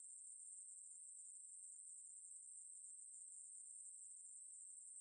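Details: A Ruspolia katydid from the National Institute of Biological Resources collection, 2020, sings a continuous shrill electric buzz, level and unvarying from start to finish, with a quiet background.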